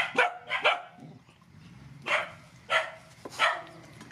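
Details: Rescued mother dogs and puppies at feeding time; five sharp barks in two pairs and a single, each short and harmonic-rich, spaced about half a second to a second apart over a low background rumble.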